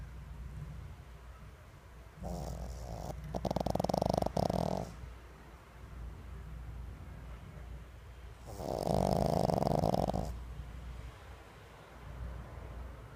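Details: Sleeping pug snoring, recorded 22 January 2016: two long rasping snores around two and four seconds and a third near nine seconds, each a harsh buzzy band with a bright tone near the middle, quiet breathing between.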